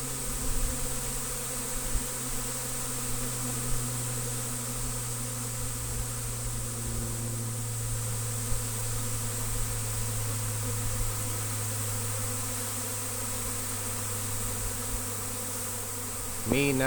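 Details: Honey bee swarm, the biggest the recordist has seen caught, during trapping in Destin: an even, unbroken hum with a strong low steady tone and fainter overtones, and a brief rustle at the very end.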